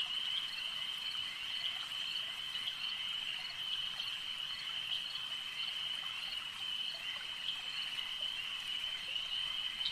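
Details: Frogs calling at a lake: a dense, unbroken high-pitched chorus holds steady throughout, with a fainter band just above it and a constant trilling shimmer, with no other distinct sounds.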